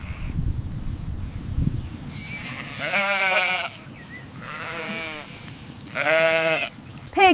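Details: Domestic sheep bleating: three quavering, wavering bleats of about a second each, spaced roughly two seconds apart, rich in buzzy harmonics, preceded by low rumbling background noise and a brief sharp sound at the end.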